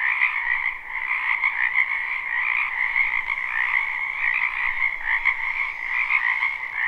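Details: A crowd of frogs in a wetland behind a house in spring, captured live. The croaking merges into a constant two-layered drone with rapid pulsing texture and only gentle dips in volume.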